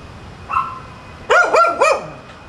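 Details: Left home without their owner, dogs at the top of Chapman Rd bark as a nuisance; a faint distant yelp, then three loud, close barks in quick succession.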